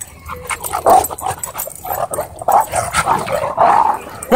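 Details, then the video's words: Dogs playing at a dog park break into a dogfight, with rough snarling, growls and sharp barks in bursts, while a person shouts nearby. "Happy Dog Park Play Interrupted By Dogfight"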